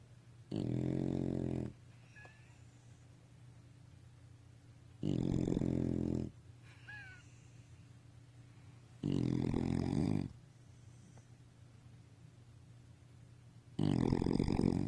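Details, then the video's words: A sleeping bulldog or beagle snores loudly: four deep, rasping snores about a second long, repeated roughly every four seconds, with a quiet steady hum between them. "SNORING Bulldog./beagle"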